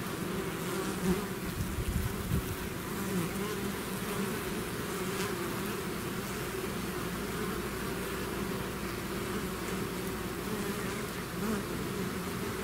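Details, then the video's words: Steady, unbroken humming of a bee swarm emerging from its hive, with layered low drones and a faint high hiss, occasional nearer bees swelling slightly in the mix. "bees therapy swarm natural buzzing sound"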